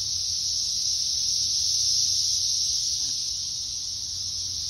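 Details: Brood X periodical cicadas singing together in woods: a steady, high, hissing drone, unbroken from start to finish.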